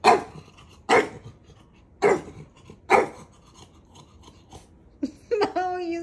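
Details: While testing his big brother's patience, Maui the dog gives four sharp barks roughly one second apart, followed by a brief cluster of squeaky, tonal sounds at the end.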